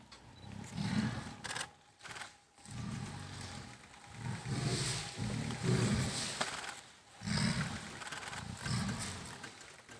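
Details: A mother tiger fights her 26-month-old daughter in Kanha National Park, forcing her out of the home range. Low, throaty roars sound in separate heavy bursts every second or two, with faint background music.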